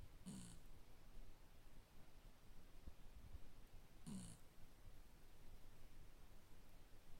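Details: Shiba Inu dog snoring while asleep indoors. Two short raspy snorts about four seconds apart, with near silence and a faint low hum between them.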